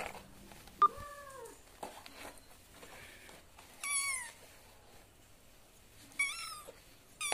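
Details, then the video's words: Cat and kitten voices indoors, the kitten said to cry out when it feels insecure: a low, curved meow near the start, then a high, thin, rising-and-falling meow mid-way and another short high meow later, with quiet gaps between. "Cute Cat and lovely Kitten Voice"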